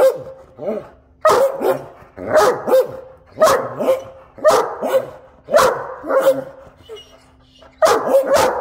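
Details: Two Great Danes 'talking' in their morning conversation: a rapid series of short, yelping woo-woo vocalizations with rising and falling tones, in bursts roughly every second, overlapping one another, with a steady low hum behind.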